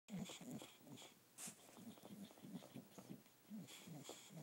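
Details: Male Olde English Bulldogge calming himself by sucking a stuffed fish toy indoors; soft, wet, low sucking pulses repeat about three times a second, with a few brief hissy breaths between them.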